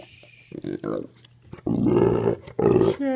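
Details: Pitbull Mastiff dog indoors, 'talking' back to its owner as if saying 'I love you': two drawn-out, moaning, harmonic rooo-like vocal sounds after short grunts, with a person's voice nearby.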